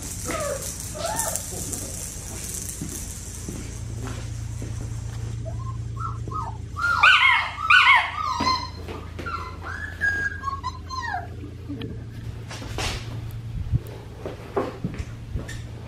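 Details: Female black tri Australian Shepherd puppy weighing 6 pounds 10 ounces, indoors, giving short high squeaky whimpers and arched whines in a brief cluster midway, with a few faint yelps before and after over a steady low hum.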